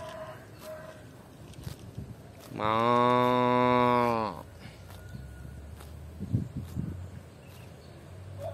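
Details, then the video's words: Cows enjoying eating grass outdoors; one steady, flat-pitched moo lasting nearly two seconds, deep and strongly harmonic, stands out over soft rustling, faint clucking and occasional clicks. "cow sound"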